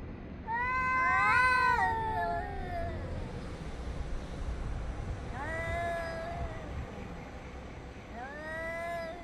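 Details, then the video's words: Cats exchanging yowls, recorded on 3 Av 5785, 6:01 to 6:04 summer time: one long wavering howl that climbs and falls, followed by two shorter arched cries several seconds apart, over a steady low rumble. "חתולים מייללים זה לזה Cats are yowling at each other"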